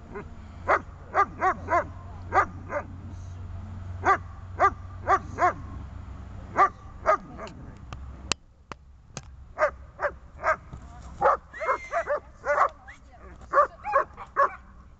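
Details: Dog in training on a bungee tether, working on grip, struggle and calming; sharp barks in quick bursts of two or three, pausing briefly near the middle, then resuming with a faster run of barks toward the end.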